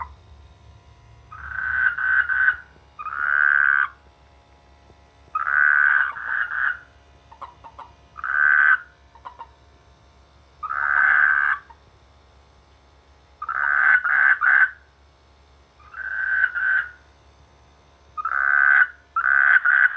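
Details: Rice-field frogs calling in the rainy season, a steady series of short, harsh, pulsed croak bursts, often in pairs, repeating every two to three seconds against a quiet background.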